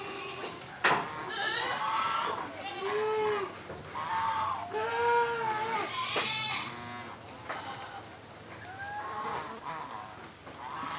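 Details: About four months old, a young female Boer cross goat out in morning sunlight in an open area gives repeated arched, quavering bleats roughly once a second, with human voices talking alongside.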